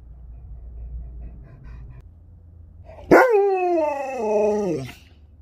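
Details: Sherpa, a pet Alaskan Malamute, answers an Alexa device indoors with one drawn-out howling vocalization of about two seconds. It starts sharply, then slides downward in steps. A low hum comes before it, and short spoken phrases are heard before and after.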